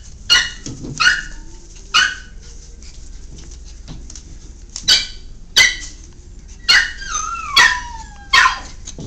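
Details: Miniature Pinscher puppies at play give sharp, high yips and short barks at irregular intervals.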